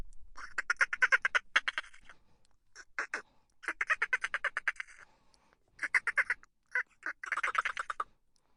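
A dolphin gives rapid, buzzy pulse trains that sound like quacking squawks, coming in bursts.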